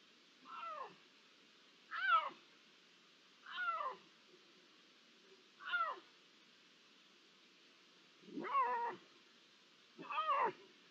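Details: Iberian lynx meows recorded on 16 June 2023, possibly one to three lynxes: short harmonic, downward-bending mews repeated about every one and a half to two seconds, six calls over a faint steady background hiss.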